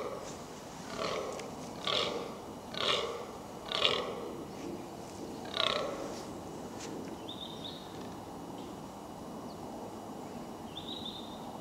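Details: Wild fallow deer during the rut in Hampshire's New Forest, England: four or five harsh belch-like groans spaced about a second apart over the first six seconds, then quiet, with two brief high bird chirps near the end.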